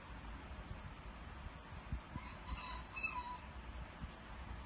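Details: Bela, a dog, crowing like a rooster: a brief, faint, harmonic cry of about a second that wavers up and down, set against steady low rumbling background noise.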